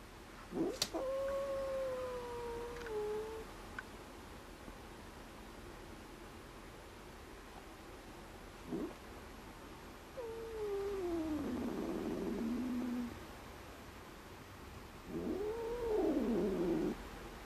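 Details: Stray cat giving several drawn-out meows: a long level-then-falling cry early on, a descending wavering call around the middle, and a rising-falling arched meow at the end, separated by quiet gaps with a faint steady high whine.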